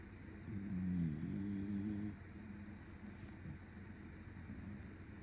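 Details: Shiba Inu dog dozing while being stroked lets out a sudden, very loud snore: a low, rumbling, harmonic drone held for about a second and a half, then fading into quieter breathing in a small indoor room.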